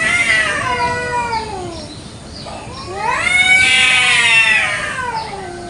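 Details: Fighting village cats squabbling over territory in a garden in the morning; shrill, strained yowls bend up and down, a falling wail followed by a louder, harsher surge of overlapping screeches.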